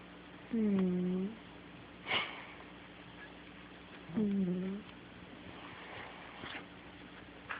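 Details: A cat asleep and snoring, filmed on an Android phone: two low, droning, hummed snores roughly three and a half seconds apart, each under a second long, with faint sniffs and small rustles between them.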